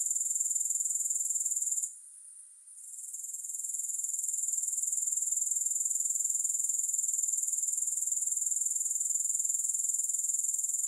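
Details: Grasshoppers give a steady, shrill, high-pitched trill that pulses about four times a second, briefly dropping away near two seconds before swelling back to full strength; no music or other sounds.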